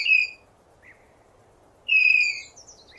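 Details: High, shrill downward-sliding whistle from a tapir, heard at the start and again about two seconds later, separated by a brief faint chirp, over a soft steady ambient hum.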